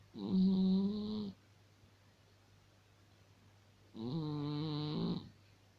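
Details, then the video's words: A sleeping cat snoring indoors: two drawn-out, tonal, nasal snores of about 1.3 seconds each, separated by a quiet pause of roughly two and a half seconds, with a faint steady low hum underneath. "Вот так храпит кот"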